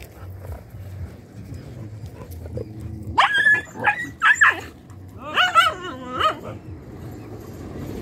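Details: Dogs fighting over a female on a road: bursts of harsh, rising yelps and snarling barks, two clusters a second or so apart in the middle of the stretch, with a low traffic rumble underneath and quiet gaps before and after.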